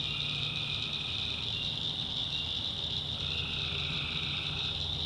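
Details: Night chorus of tree frogs in North Carolina backwoods swamp, a constant piercing high drone with a lower, sustained trill that fades out and returns after about three seconds, plus a soft low rumble.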